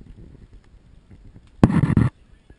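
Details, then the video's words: Pembroke Welsh Corgi puppies, one of a litter of ten, resisting bedtime, filmed on a GoPro HD HERO2. After soft pattering and scuffling, a single loud, harsh bark bursts out, broken in two, lasting about half a second. "bowwow コーギー"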